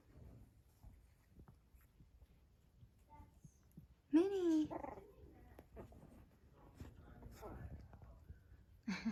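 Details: Blenheim Cavalier King Charles Spaniel puppies, almost four weeks old, at play indoors. A quiet stretch of scuffling breaks into a sudden loud yip that wavers up and down, a fainter squeal follows, and another sharp yelp ends the clip. People talk softly.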